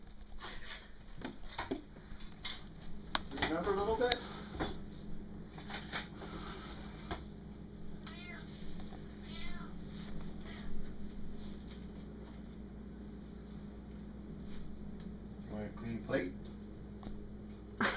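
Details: Pet cat meowing indoors while a man talks to it. Middle: one loud, drawn-out wavering meow. Later: a few shorter, softer meows. The man's voice runs throughout in a small room, with a steady low hum.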